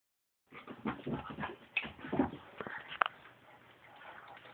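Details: Border Collie and Parson Russell Terrier playing together indoors; a burst of mixed growls, whimpers and yips from the dogs, dense and overlapping, with sharp scuffling noises and a loud yelp near the middle.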